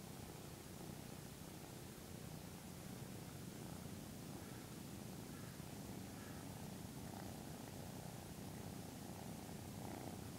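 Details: A 13-week-old male Maine Coon kitten grooms its owner at 6am, purring steadily in a low continuous rumble with a soft rhythmic pulse.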